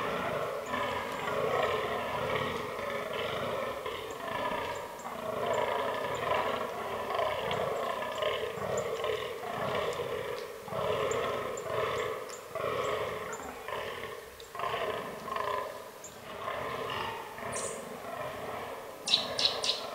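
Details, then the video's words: Rutting fallow bucks in an autumn forest. Hoarse, belching groans come in rhythmic series, about two per second, for nearly the whole stretch. A few sharp clicks and a high squeak come near the end. "Fallow Deer Rut 2022"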